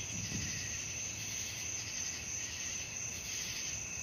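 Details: Crickets at night: a dense, unbroken high-pitched trilling chorus with a faint rhythmic pulsing, no other animals or voices.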